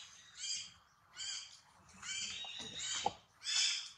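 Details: Shrill, harmonic squeals near a newborn female monkey, four drawn-out cries about a second apart, each rising then falling, with a soft tap between the third and fourth.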